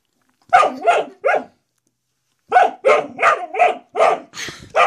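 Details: Pet dog at home, behaving as if a door stop it discovered is a threat, gives sharp barks in two bursts: three quick barks, a pause of about a second, then six more in fast succession.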